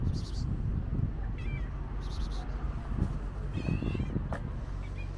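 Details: Pregnant calico stray cat waiting in front of a market gives short, thin rising meows, about two distinct calls in five seconds, over a steady low rumble of traffic and street noise.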